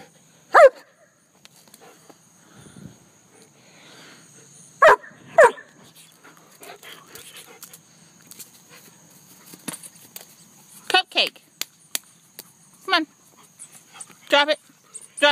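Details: Cupcake, a German Shepherd kept as a pet, gives scattered single barks outdoors, with two early barks, then a looser run of shorter barks in the last few seconds. The owner repeats commands such as "leave it" and "come here".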